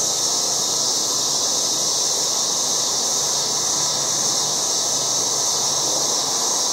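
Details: Cicadas calling loudly around a yard in August, a constant piercing sizzle that never pauses or changes pitch, backed by a faint low hum.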